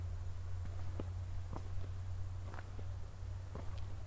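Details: Crickets at night just after a thunderstorm near Zwettl, Austria, heard during an evening walk with city lights in the distance, recorded in 24-bit stereo: a thin, steady, high pulsing trill over crunching footsteps and a low rumble.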